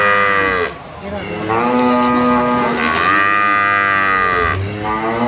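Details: Jumbo sacrificial cattle weighing over 500 kg, kept in a pen for weighing: long, loud, harmonic moos, one low and steady, then a rising, wavering call that falls away at the end.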